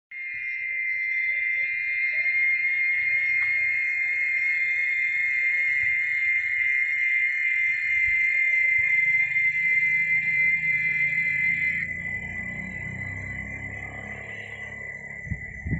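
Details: Chicharras, cicadas, holding a steady, shrill, unbroken whine that pulses rapidly throughout, dipping slightly in pitch near the end, while a low rumbling background noise grows in the later seconds.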